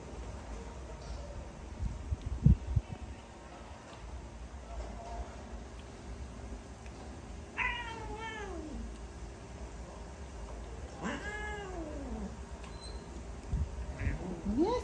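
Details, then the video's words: Unhappy pet cat resisting a dose of vitamins and trying to flee: two long, clear meows rising and then sliding downward, spaced about three seconds apart, then a short rising mew at the end, over faint room hum and occasional handling noises. "All my cat Not happy and try to run away from me, when I give the Vitamin to them!"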